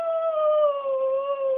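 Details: A Maltipoo dog howling on command indoors: one sustained, gently falling tonal howl with rich harmonics, lasting about a second and a half, praised with "good boy" before and after.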